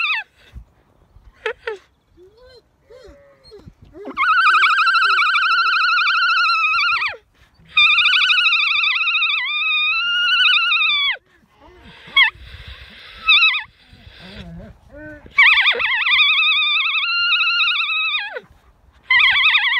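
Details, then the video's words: On an Irish farm in County Kilkenny, a female alpaca sings what its owner calls her opera song: several long, quavering, high tones, each a few seconds, separated by brief pauses, after a woman's soft talk at the start. "Alpaca Oreobloom Sings Her Song"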